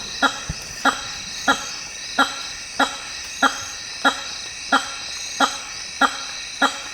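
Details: Loud, resonant honking from a hammer-headed fruit bat in African rainforest, evenly repeated about every two-thirds of a second for roughly ten calls, with a steady high-pitched insect chorus running underneath.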